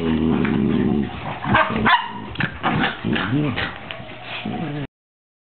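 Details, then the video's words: Two puppies, Luce and Folly, aged 13 weeks, playing wildly: high squeaky yips, short barks and wavering whines tumble over each other in quick succession, with a sharp yelp near the two-second mark, before ending abruptly. "Puppy madness."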